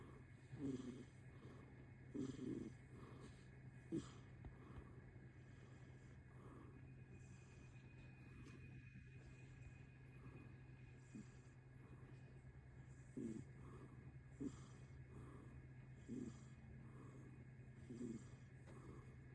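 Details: Relaxed rescued kitten, 11 months old, a dilute tortoiseshell grown big and chubby, snoring: soft low rasping breaths recur roughly every two seconds over a constant low electrical hum.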